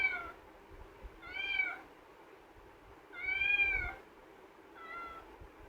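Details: Kitten Pavi kutty, shut in a cage and crying to come out, repeats four arched harmonic meows about every one to two seconds, the third loudest, in a quiet indoor room.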